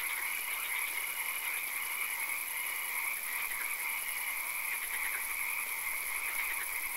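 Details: Frogs in a nighttime swamp produce a thick, continuous chorus of high trills, with short bursts of faster rattling pulses standing out against a steady shrill background hum.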